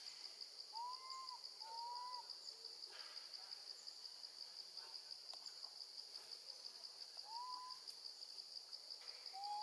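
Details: Young female monkey calling for her mom while left with her grandmother: a string of clear, arched, whistle-like cries, each rising and falling, repeated at uneven intervals over a constant high-pitched buzzing drone.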